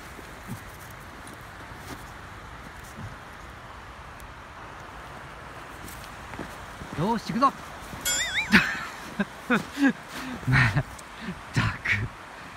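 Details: Husky dog in rough play with its owner outdoors, giving wavering howl-like whines and a high warbling yowl among short rough grunts and scuffles, with people talking and laughing nearby.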